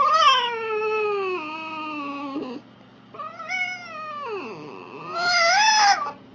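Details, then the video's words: Red fox (Vulpes vulpes) giving loud, drawn-out whining calls: a long tonal wail that slowly falls, a second bending down steeply, then a sharp rising cry at the end. A faint steady low hum sits underneath. "Fox ( Vulpes vulpes ) calls."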